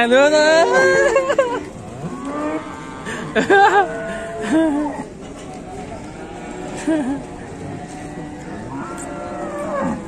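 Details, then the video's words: Agitated, fierce cow causing a commotion: several loud bellowing moos in quick succession at the start, then weaker lowing calls, with people laughing and talking in the background. "SAPI GALAK BIKIN RIBUT"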